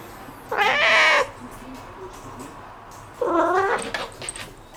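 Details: Domestic cat meowing noisily after discovering a bug: two harmonic meows, each under a second long, separated by about two seconds of quiet room noise.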